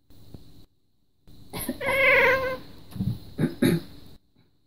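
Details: Indoor pet cat voicing displeasure whenever its owner coughs or clears her throat; a loud, drawn-out caterwauling meow with strong harmonics, then several short, lower, choppy grumbles trailing off.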